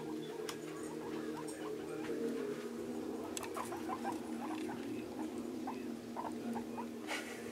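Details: Scruffy, a newly adopted male guinea pig, excited by the space while placed in a bathtub with towels and hay during cage cleaning; short soft squeaky chirps come in quick bursts over a steady television hum indoors.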